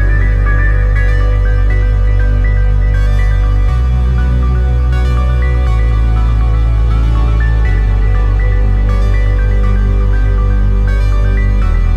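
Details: Loud electronic ambient music with deep sustained bass and stepping synth notes, and no animal sound heard.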